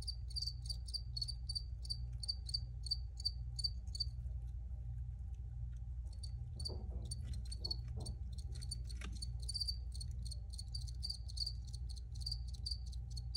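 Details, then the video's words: Crickets in an original recording give short, high chirps about three or four times a second. The chirping stops for roughly two seconds midway, then resumes, over a steady low hum. "Free Cricket Sounds for Re-Use or Relaxation"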